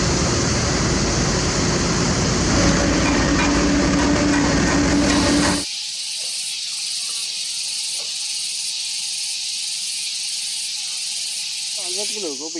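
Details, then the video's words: Loud cicadas on a peaceful morning at a hilltop road construction site in a valley between rocky hills, a dense steady buzzing hiss that suddenly drops halfway through, leaving a lower engine hum and faint mechanical noises. "lắng nghe tiếng ve sầu buổi sáng... bởi vì chúng sắp bị át đi bởi tiếng gầm rú của mười bảy chiếc máy xúc khổng lồ!"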